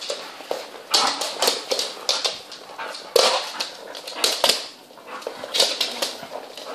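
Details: Mother dog with her twelve young puppies at play; a steady stream of short, high yelps and squeals, some louder and sharper, interspersed with scrambling noises.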